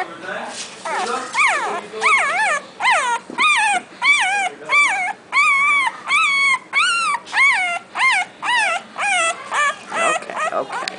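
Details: Young Boxer puppy already howling, giving a run of short, wavering, arched yowls repeated more than once per second, each rising then falling, in a small indoor room.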